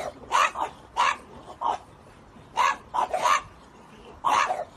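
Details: French Bulldog pet giving a handful of short, emphatic barks, some paired close together, with quiet gaps between bursts.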